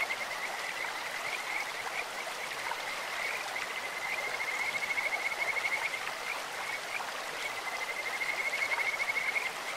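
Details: Kajika frogs in a clear stream give a near-continuous high whistled trill at steady pitch, with brighter pulsed stretches midway and near the close, set against broad splashing stream sound.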